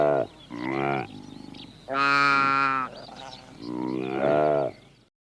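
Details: Saiga antelope calling: three loud, harmonic nasal bleats roughly a second long with short sharp onsets and quieter calls in between, ending abruptly in silence.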